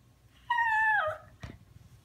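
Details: Young male puppy crying and talking back to his owner indoors after being scolded: a single clear, tonal whine about half a second long, falling in pitch, followed by a brief soft knock; a woman speaks around it.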